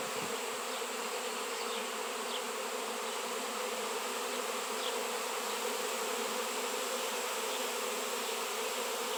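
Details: Honey bee swarm drawn to a large raw chunk of shungite, in an area where these bees had not been seen for years; a thick, continuous drone of many wings, even and unvarying throughout.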